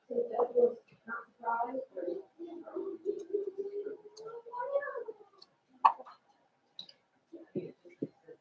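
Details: Five-week-old Cavalier King Charles Spaniel puppies in Daisy's puppy pen. A long, drawn-out whine wavers and slowly rises, then short whimpers and taps follow. The setting is a quiet indoor room.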